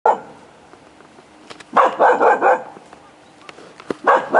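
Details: Jomon Shiba Inu dog giving drawn-out, whiny vocal bursts at mid pitch: one short cry at the start, a longer wavering run of cries in the middle, and a final pair near the end, with quiet pauses between.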